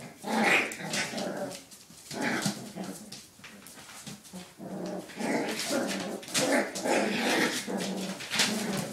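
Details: Five puppies at play produce throaty growls and short yapping barks repeated roughly twice a second, a steady rough-and-tumble chorus with occasional sharper high yips.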